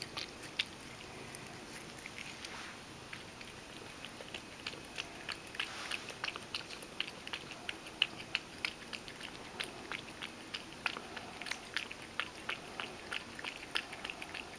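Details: Ragdoll cat Mojio drinks milk at mealtime, splashing some of it. Soft tongue-lapping ticks repeat roughly three per second, quieter and more blurred than elsewhere, against low room hiss.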